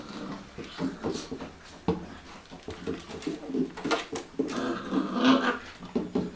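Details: A Cocker Spaniel in a bathroom makes low, moaning grumbles and whines, mixed with knocks and scuffling.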